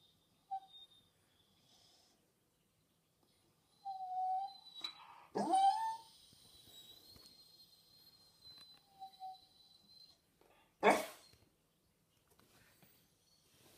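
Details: Six-month-old Staffordshire Bull Terrier puppy crying indoors, wanting its owner to kill a moth so it can eat it: thin high whines near four and nine seconds, a sharper yelp in between, one loud click late on, otherwise quiet.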